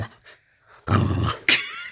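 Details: Layla, a pet Boxer, grumbling in the bedroom at bedtime: a deep growl lasting about half a second, ending in a sudden sharp higher yip, with a person talking nearby.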